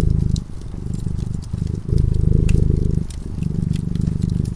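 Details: A sleeping cat at a warm fireplace purrs in a low, vibrating drone, louder and quieter stretches trading places every second or so, accompanied by light crackling and popping of the flames.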